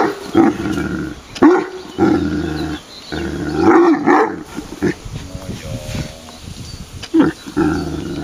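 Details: Male Irish Wolfhound voicing displeasure in a ringing, bell-like tone: several drawn-out harmonic moans with rising and falling pitch, broken by short pauses, while people talk in Czech nearby.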